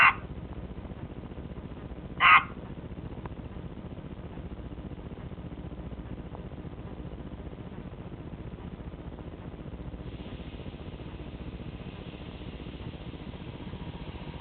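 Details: A 4-year-old albino Pacman frog gives two short, loud, raspy chirps about two seconds apart near the start, then falls silent over a steady background hiss.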